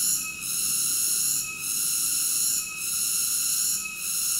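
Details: Shrill, continuous cicada buzz with a ringing tonal quality, briefly softening at regular intervals of about 1.2 seconds; no other sounds present.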